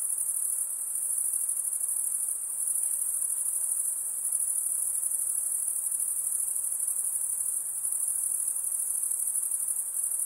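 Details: Insects by a calm lake, a continuous very high-pitched shrill hum that stays steady throughout, sounding like a dense chorus of crickets with no pauses or other clear sounds.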